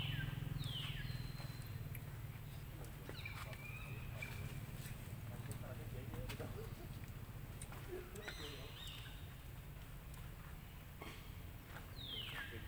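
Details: Young monkey Lucie crying loudly, angry because her mother rejected nursing: several high, falling squealing cries, some doubled, spread across the stretch, with quieter warbling noises and a constant low rumble underneath.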